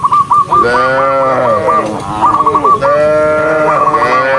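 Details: Tame cattle walking in a very large herd give loud, long, sliding moos back to back, with a fast series of high chirping notes running over the start.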